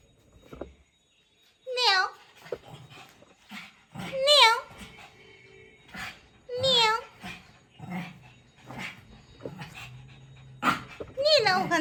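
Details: Small Shih Tzu dog playing indoors, giving short, high, wavering whiny yelps about every two to three seconds while a person coaxes it in Bengali, with scuffling and handling noises.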